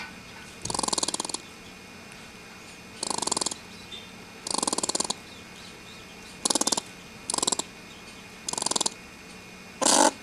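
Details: Stressed, irate squirrel about to be let go, giving buzzy, rapidly pulsed growling chatters in seven bursts spaced one to two seconds apart, ending with a harsher breathy burst; quiet background.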